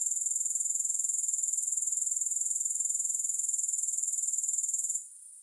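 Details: Continuous shrill insect chirring from grasshoppers, rapid even pulses at high pitch holding steady for about five seconds before cutting off abruptly at the end.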